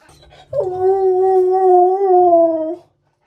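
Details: Siberian Husky indoors, caught on a hidden camera during the day: one sustained, tuneful howl-like yell of about two seconds, holding a steady pitch with slight wavering, rising briefly at the start and dipping at the end, followed by silence.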